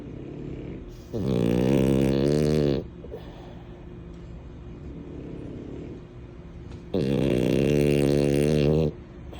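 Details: Napping French Bulldog Mini, a female, gives two long, loud, buzzing snores roughly six seconds apart, each about two seconds of rough, vibrating rumble, with quiet breathing and faint room noise between them.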